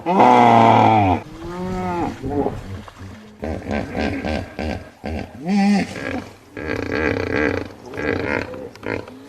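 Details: Hippopotamus growling: a loud, harmonic, drawn-out opening cry, then a series of shorter arched, honking grunts and rough, pulsing growls in uneven bursts over about nine seconds.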